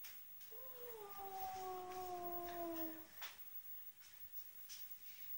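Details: Ruby, a house cat, lets out one sustained, slightly falling wail of about two and a half seconds over a noisy indoor background with a faint hum.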